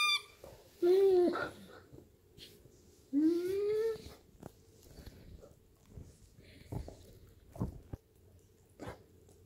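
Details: Newfoundland dog lying on a couch, playing with a squeaky toy indoors: two long rising whining squeals with rich overtones, then scattered soft clicks and knocks.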